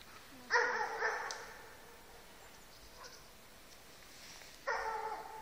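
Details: A dog of pointer, German shepherd, Siberian husky and keeshond mix barks while baying a moose in the open; two sharp, harsh barks about four seconds apart with quiet rustling between.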